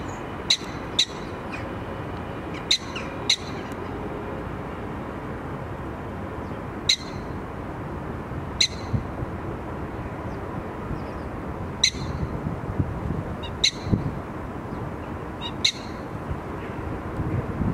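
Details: Prairie dog at Diergaarde Blijdorp calling a loud greeting: a run of abrupt, high, barking chirps, often in quick pairs, repeated every one to three seconds, over a steady droning background.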